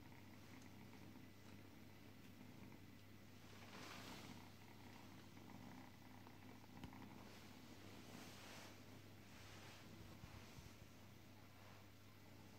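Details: A drowsy pet cat gives a continuous low purr, an even rumbling hum with slight swells in loudness, under quiet room noise and occasional soft rustling.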